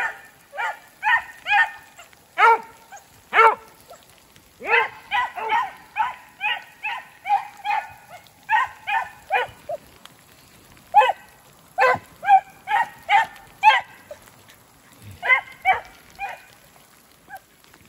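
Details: Two beagles, brother and sister, running a snowshoe hare in fresh snow in the woods. Clear, evenly spaced bays, each a short, rising, musical howl, repeat about once a second against a quiet background.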